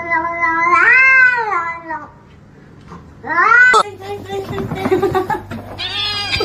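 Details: Pet cat indoors giving a long, drawn-out meow that rises then falls over about a second, followed by a shorter rising meow, then muffled thumps and rustling noise.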